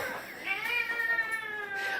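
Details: Domestic cat pestering its owners gives one long, drawn-out meow, steady and tonal with a slight rise and fall, held for about two seconds in a quiet room.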